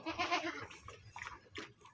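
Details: Weaned young goats crowding and jostling to drink, with a harsh bleat at the start, several shorter bleats after it, and a man speaking over the animals.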